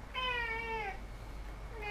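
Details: Domestic cat indoors giving a clear, drawn-out meow with many harmonics that slides slightly downward over most of a second, then the start of a second meow at the very end; quiet background hum.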